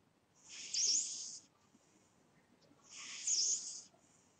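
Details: Sleeping pet cat snoring: two airy, hissing breaths, each about a second long, high and breathy, separated by a quiet gap of roughly two seconds.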